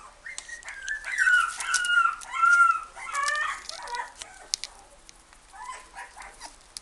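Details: Toy Poodle at the Inu no Ie pet shop, Ginan branch, giving high, wavering whimpers and drawn-out whines in bursts of one to two seconds, then softer broken whines, with light tapping and clicking around it.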